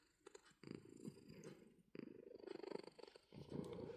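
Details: Pet cat purring as it is booped: a rough, pulsed low rumble that starts after a short quiet moment, breaks off briefly near the middle, then resumes louder and continuous.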